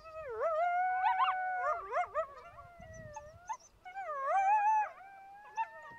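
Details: Overlapping coyote voices: wavering howls held steady then breaking into rapid yipping trills and squeals, a busy group chorus with short pauses between bursts.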